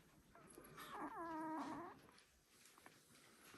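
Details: Border Collie puppy, one week old, from a litter: a drawn-out whining cry of about one second with clear harmonic bands, rising then gently falling before trailing off, over a quiet indoor background.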